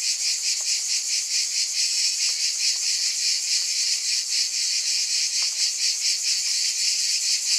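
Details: Cicadas in a chorus, their buzzing wings making a dense, steady, high hiss. The drone swells in loose, uneven pulses about once a second. A few faint clicks sit under the constant wash.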